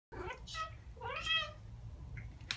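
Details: Two Ragdoll cats, aged one year and nine months, chatter back after hearing birdsong: short harmonic chirping calls, the longest bending upward then down near the middle, with a brief sharp click at the end.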